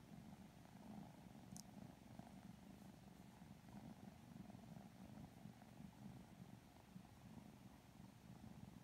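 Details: Sleepy purring from two Lilac Modern Lynx Balinese kittens being petted, a steady low vibrating drone with one brief faint click early on.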